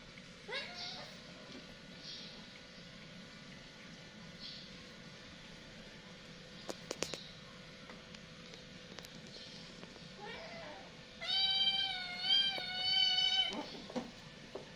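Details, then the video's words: Cats fighting: short rising cries early on, then a sustained, strained wail of about two seconds near the end, rich in overtones and wavering slightly in pitch, over a quiet background with faint clicks and rustles. "Suara Kucing berantem"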